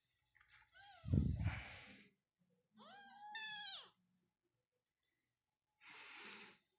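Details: Persian cat or kitten at a cattery in Pakistan, with short falling mews and one bright wavering meow, then a burst of hissy noise; a low thump and faint voice-like sound also occur indoors.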